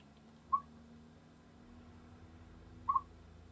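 A chipmunk gives two short, clear chirps a couple of seconds apart over a low hum.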